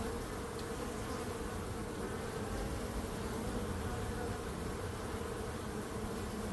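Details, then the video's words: Steady droning buzz of bees, thick and unbroken, with a low rumble underneath and faint higher hiss, level throughout. "Relaxing Calming Bees Sound"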